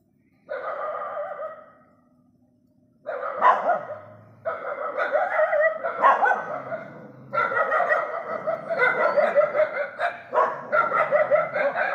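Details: Stray dogs barking together at night: a single drawn-out bark, a pause, then overlapping rapid barks from several animals in dense, irregular bursts through the rest.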